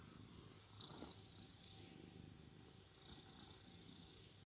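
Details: Shandy, a sleeping cat, snoring softly: a quiet, continuous low rumble with two longer breathy, hissing breaths about two seconds apart, in an otherwise still room.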